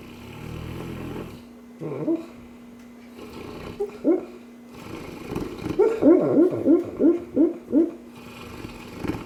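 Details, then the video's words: A sleeping Cane Corso dreaming: after a soft snore come muffled yips and whimpers, ending in a quick run of about six short, rising squeaky yelps, with quiet pauses and a low hum between. "cane corso snoring/dreaming"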